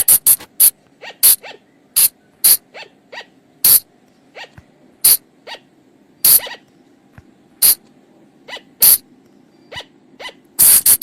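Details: Forest recording of a flying lemur sound used to attract the animals after dark. Sharp, rasping bursts are interspersed with many soft, arched tonal chirps in an uneven, busy series lasting about eleven seconds.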